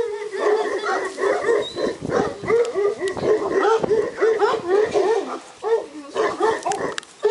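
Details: Purebred Šarplaninac puppies, several together at a breeding kennel, giving rapid repeated short yips and whimpers of steady mid pitch, many per second, overlapping in a restless, chattering stream.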